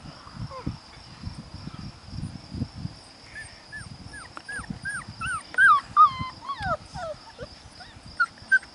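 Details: Five-week-old puppies whimpering and squeaking: many short high whines that rise and fall, scattered at first, then thicker and louder toward the end, over a soft low rumble of background noise.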